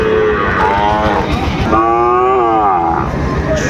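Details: Sahiwal bull calves at Raniganj cattle market on 25 July 2024; drawn-out calf moos, rising then falling, over a loud, constant crowd of bargaining voices and traffic noise.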